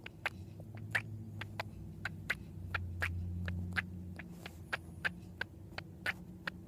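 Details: Pet female cat, believed to be dreaming about squirrels, giving the weird noise heard when she chatters at squirrels in the window: short snapping clicks in quick irregular series, over a louder low rumble partway through.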